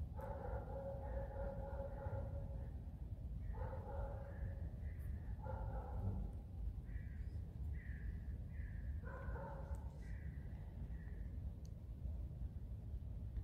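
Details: Alice, a pet fox kept at home, complains with drawn-out, nasal whines. Steady harmonic tones rise and fall in short phrases, some pitched higher than others, separated by brief pauses over a constant low hum.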